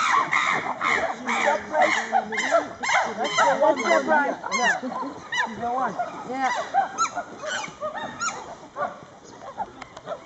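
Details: Chimpanzees at the sanctuary on Ngamba island give a loud series of hoarse, rising and falling hooting calls, repeated rapidly and building in overlapping bursts before tapering off toward the end.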